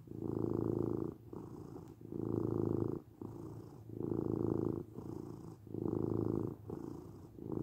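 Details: Continuous low, rumbling purr of a domestic cat, pulsing in roughly one-second swells that rise and fall with each breath, with no other sounds.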